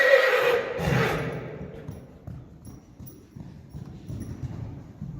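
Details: Friesian colts Harm fan 'e Goëngamieden and Hendrik fan 'e Goëngamieden, born 2018, of a Friesian horse herd, filmed March 28, 2020: a loud, harmonic whinny sweeping downward in the first second, then softer hoof thuds and shuffling.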